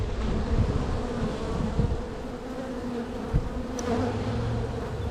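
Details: Spring honey bee colony with queen cells, some already opened, checked during a hive split; steady humming drone with brief clicks and taps from handling frames.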